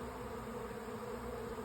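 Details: Swarming honey bees entering a hive in late May, filling the air with a constant, even buzz of countless wings, a low humming drone without pauses.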